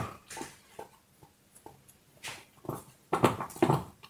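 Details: Dog gnawing a bone, with soft irregular crunches that grow into heavier, louder cracking bites toward the end.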